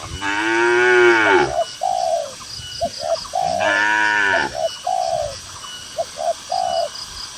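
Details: Two long, harmonic moos from herded cattle grazing a cool green field in the countryside, each followed by a run of soft, repeated dove coos.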